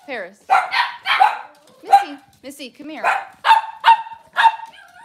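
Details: Cavalier King Charles Spaniel barking indoors in a kitchen with puppies and adult dogs on a cloudy morning. About seven short, bright barks are spaced roughly half a second apart, mixed with brief rising voice sounds.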